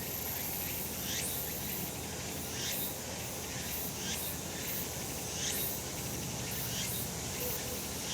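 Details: Cicadas singing on a sunny summer mountain, a calm, peaceful scene: overlapping bright buzzy pulses that sweep upward, repeating roughly every second or so from several callers, over a steady hiss of background insect noise.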